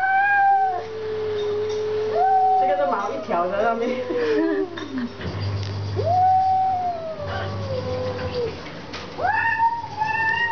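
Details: Domestic cat in a food dispute with a stray cat outside; drawn-out wavering meows and a tremulous warbling yowl, roughly four calls, with people talking in Chinese nearby.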